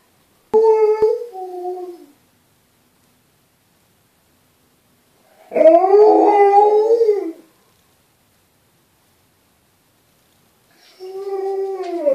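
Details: A Norwegian Alaskan Malamute "sings", howling in drawn-out, wavering bursts separated by silence.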